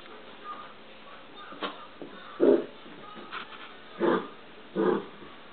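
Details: Dachshund puppy named Zoe playing with a cat named Nilo indoors; short yippy barks at about 2.5, 4 and 4.8 seconds, with a few quieter yelps before them and faint room noise.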